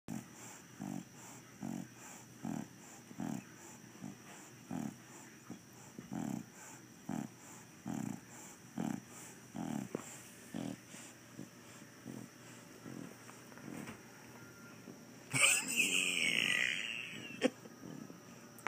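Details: Bulldog snoring with steady rough snorts about once a second for fifteen seconds, then abruptly breaking into a harsh, loud, noisy growling burst as the dog turns into a "demon dog", followed by quiet.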